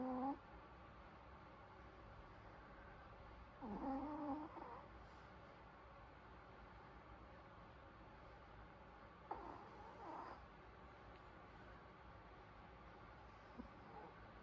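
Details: Sleeping Pomeranian snoring softly indoors: a few low, drawn-out breathy snores with faint nasal harmonics, spaced several seconds apart, near-silent steady hum between them.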